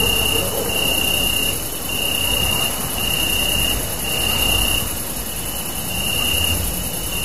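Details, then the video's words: Crickets chirping at night under a super moon, filmed on a Samsung Galaxy Note 3: a steady, unbroken high-pitched ringing drone with a fainter, even higher band above it, over a broad hiss of low rumbling background noise. "Super moon with crickets chirping."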